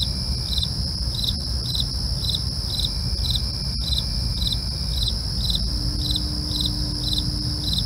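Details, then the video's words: Crickets at night: a steady high-pitched ringing trill overlaid with short pulsed chirps repeating roughly three times a second, with a few sharp clicks and a constant low rumble beneath. "night crickets asmr for you"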